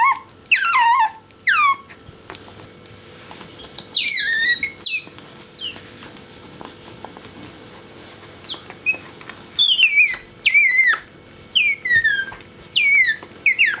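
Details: Loud, insistent squeaking from Bingo the pet otter, who loves his orange towel and approaches it. The peeps are shrill and wavering and glide from very high to lower pitch, coming in bursts of two to four with short pauses.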